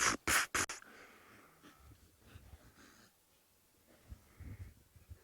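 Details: In the Maasai Mara in the afternoon, migrating blue wildebeest herds give three sharp, breathy snorts in quick succession, then a fainter chorus of snorts and rustling, as two lionesses walk toward the herds.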